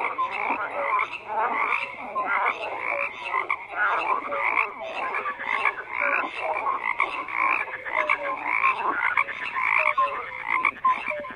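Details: Frogs croaking as a dense chorus, overlapping rasping pulses between roughly mid and high pitch with short tonal notes scattered throughout, steady and continuous with no gaps.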